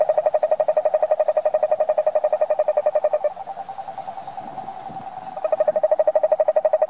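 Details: Toad giving a long, fast pulsed trill of regular mid-pitched notes for about three seconds, blurring into a continuous buzzy hum, then resuming the crisp pulsing; no other sounds stand out.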